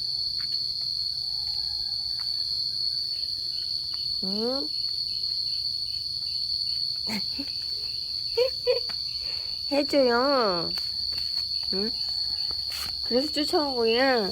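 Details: Momo, a Laotian yard cat defending territory in a fight as the rainy season begins, gives repeated undulating, warbling yowls that grow longer and louder, under a continuous high-pitched insect chorus.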